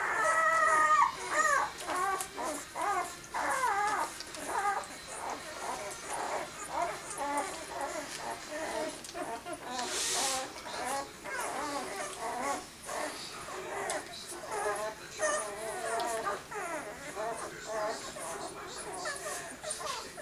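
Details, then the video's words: Whimpering six-day-old pups from Willy and Olimpiya's litter, a dense chorus of thin, wavering squeals repeating almost twice a second over twenty seconds, with a brief hiss of noise midway. "Willy and Olimpiya pups 6 days old."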